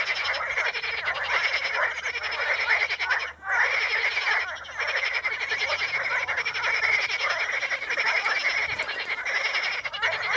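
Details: In the Ispani mires, frogs calling on Potamogeton crispus keep up a steady dense chorus of rapid ratcheting croaks, briefly dropping in volume once before resuming at full strength.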